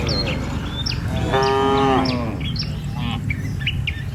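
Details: One cow in a herd of tame cattle crossing a river bridge in the morning on the way to the village gives a single short, steady moo, surrounded by frequent high bird chirps and a low rumble.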